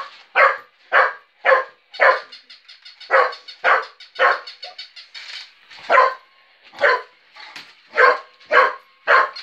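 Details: Mitsy, a working cocker spaniel, barks at a child's battery-powered moving toy puppy: loud, sharp barks about twice a second with short gaps, alongside a rapid mechanical yapping from the toy.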